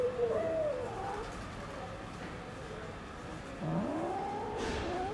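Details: Domestic cats kept in a fenced safe zone in Istanbul: a wavering meow opens, then after a pause a longer one swoops down low and climbs back up, over a soft background hum.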